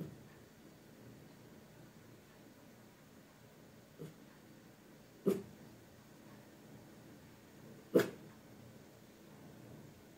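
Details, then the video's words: A tiny Maltese named Lucky guards the house indoors against invisible threats, captured on a Pixel phone: a faint bark followed by two louder, sharp single barks spaced a few seconds apart in a quiet room. "Watch My Tiny Maltese Defend the House Against Invisible Threats!"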